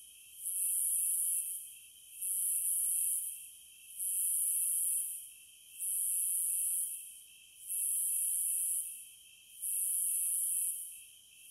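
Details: Repeated buzzing surges from cicadas, six evenly spaced bursts each lasting about a second, separated by brief quieter gaps, with a steady high hum underneath throughout.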